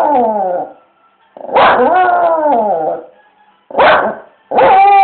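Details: Domestic dog at a window reacting to loud street music with odd barking: a falling howled note, a pause, then a drawn-out wavering bark-howl, and two short harsh barks in quick succession near the end.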